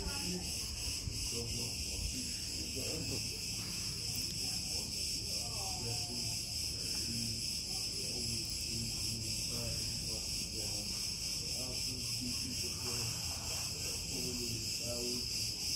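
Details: In Crete, cicadas fill the air with a steady, high, hissing buzz while people talk quietly nearby.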